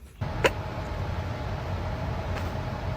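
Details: Low rumbling vehicle and road noise fills the scene, with a brief click near the start and no animal voice.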